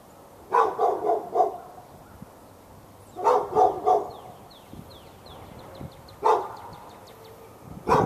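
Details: Dog behind a fence in Raleigh, North Carolina, barking for hours at nearby dogs on February 15, 2012; rapid runs of three or four barks, then single loud barks, small birds chirping throughout.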